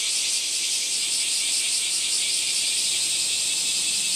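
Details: Loud, sizzling cicada drone with a rapid ratcheting throb running through it, steady in volume from start to finish.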